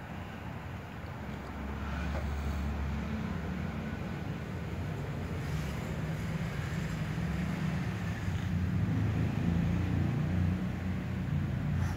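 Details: A steady low rumble like wind or passing traffic grows slightly louder over time, with no animal call standing out.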